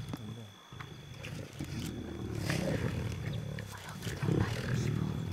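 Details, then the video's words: Lions of a pride feeding at night in South Luangwa National Park, Zambia, July: deep continuous growling and snarling, loudest in the second half, with brief human speech and vehicle-side noise. "Lion pride feeding frenzy"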